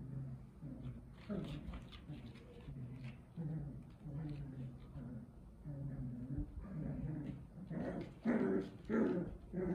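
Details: Rottweiler puppies exploring their new place whimper and whine in short, repeated bursts, with a few low growly notes.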